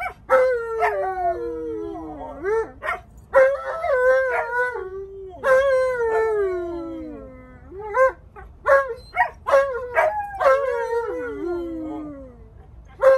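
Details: Stubborn Alaskan Malamute complaining loudly, refusing to sit and wear his seatbelt: repeated drawn-out howling 'talking' moans that start high and slide down, each a second or two long, with short breaks between.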